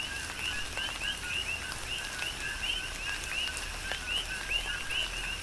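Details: Several coqui frogs sing through a tropical rain shower on Hawaii's Big Island, their quick rising two-part chirps repeating about every half second in overlapping rhythm over constant hissing rain and occasional raindrop taps.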